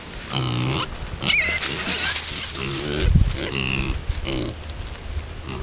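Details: Pet pigs grunting in short, low, burp-like bursts, about five across a few seconds, each rough and throaty, with a brief squeaky sound early on and background noise.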